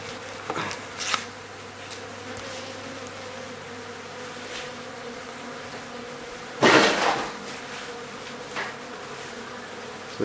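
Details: Steady, even buzzing of bees in a hive built inside a house in Aderet, recorded as the hive is removed, with sharp knocks and scraping bursts breaking in near the start and around the middle.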